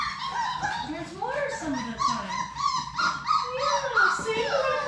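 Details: Labrador Retriever puppies, six pups of the mother Sadie, playing together in their play room; overlapping thin whimpers and yips rise and fall in quick, irregular succession, several voices crossing one another.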